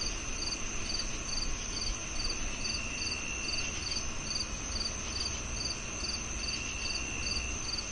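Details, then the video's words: [['High cricket chirps pulse at a fast, even rate above a sustained shrill tone, while a low, noisy ambience hums beneath.']] "The Cricket Sounds"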